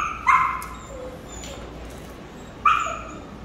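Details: Samoyed at an airport, setting off from Korea to Thailand for a new start; two short, high yelping barks about two and a half seconds apart over a quiet indoor background.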